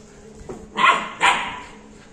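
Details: Labrador Retriever puppy, 61 days old, gives two sharp, bright barks in quick succession, half a second apart, after a faint soft yip, indoors with low background hum.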